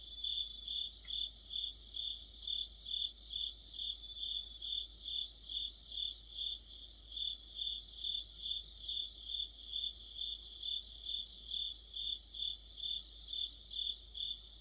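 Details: Crickets and companion insects in a mid-autumn orchestra by a streetlamp; bright repeated chirps stacked above a continuous shrill trill, beating in a steady rhythm of over two pulses per second throughout.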